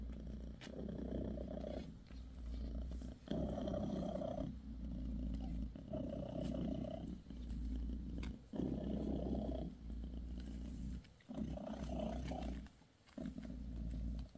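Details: Mother cat Bassy, tending her kittens with a massage, purrs steadily for a long stretch; low throbbing rumbles come in phrases of one to two seconds, each broken by a short silent breath, with occasional soft clicks.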